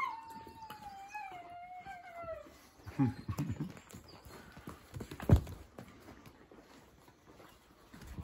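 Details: Playful Eastern European Shepherd puppies at a kennel in Ukraine, three tumbling together: a long, thin whine slides slowly downward over two seconds, then scuffling thumps and bumps from the play fill the rest.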